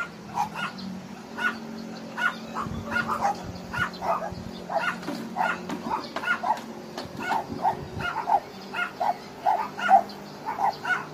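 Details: Many abandoned dogs at Hanna's rescue shelter in Daegu, South Korea, barking together in a dense, overlapping chorus of sharp, repeated barks that continues for the whole stretch, with a low steady hum underneath.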